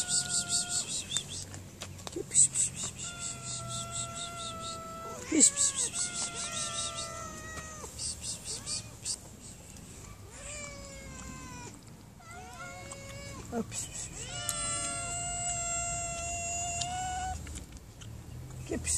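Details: Hungry mother cat being fed by a woman who feeds street cats, giving repeated drawn-out harmonic meows, some rising then falling, spaced through the clip, with soft calling and background hiss.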